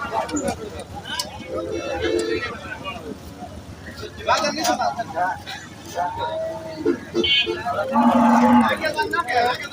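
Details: Two dairy cows offered for sale at a market, giving low, drawn-out moos near the start and again near the end, amid constant crowd chatter, traders' voices and passing vehicle noise.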